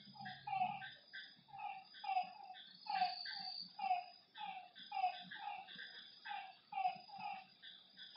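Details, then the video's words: Night chorus of frogs beside a lake: bursts of bright, harmonic croaks pulsing roughly twice a second from several animals, with a brief low hum at the start. "Lakeside night creatures and frog sounds"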